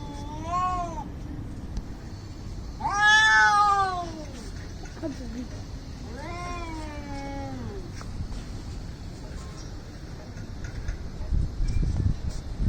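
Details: Angry domestic cats squaring off for a fight: long wavering yowls rising and falling, three drawn-out harmonic wails with pauses between, a low growl after the second, light background noise.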